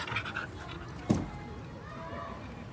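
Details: A dog playing outdoors by a small park in front of a house in the evening pants in quick breathy puffs, with a sharp knock partway through and faint background noise.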